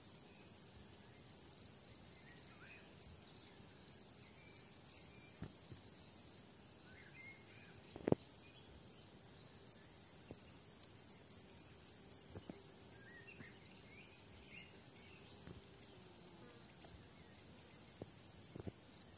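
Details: On a summer meadow, crickets chirp continuously in quick high pulses at about three and a half per second, joined by scattered faint bird notes and occasional sharp clicks.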